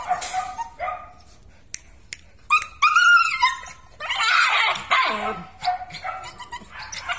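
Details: Belgian Malinois from a kennel's strong working line, letting out loud high yelping barks and a drawn-out whining cry, then falling back to shorter yips, with no other clear sounds.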